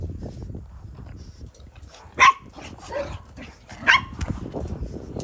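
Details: A small pug, kept alongside a poodle of about 2 kg, gives two sharp, high barks about two seconds apart over a low indoor rumble.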